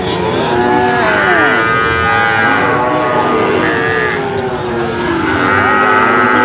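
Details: Brahman bulls in a herd, many animals lowing at once: long, drawn-out, harmonic moos that overlap and rise and fall in pitch, forming a continuous dense chorus with no quiet gaps.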